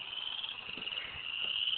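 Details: Frogs calling from a swampy creek area described as a huge frog nest, unidentified species; a steady high-pitched continuous trill holds throughout the short stretch, with faint low rumble beneath.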